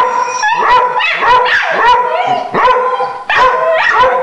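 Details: Pet dogs going nuts barking at a raccoon in a cage behind a door: rapid, overlapping harsh barks with high whining yelps, several bursts per second.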